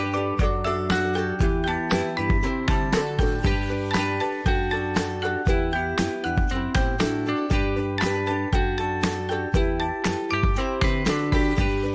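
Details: Bright, jingly instrumental music with steady plucked notes and a regular beat throughout, no animal sounds.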